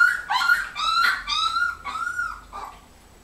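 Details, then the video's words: Three-week-old puppies of the dog Joy, July 2015; loud, high whining yelps in a quick series of four or five drawn notes, some slightly wavering, fading off after two and a half seconds. "joy puppies lilly juli2015"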